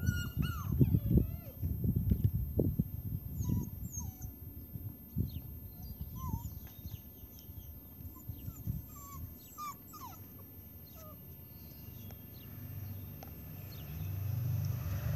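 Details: Alaskan malamute puppy at play with a kitten, giving short high-pitched whines and squeaks scattered through the first eleven seconds, over rustling and thumping play noise that fades to a quieter hum near the end.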